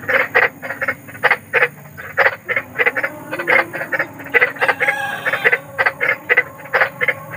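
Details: Big frog in nature, night chorus of rapid raspy croaks, bursts spaced roughly a third of a second apart with brief pauses and a second overlapping caller around the middle.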